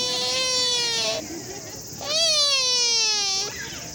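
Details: Sika deer at Nara Park giving two drawn-out, tonal, wailing calls, each over a second long and gently falling in pitch at the end, separated by a short pause of background noise.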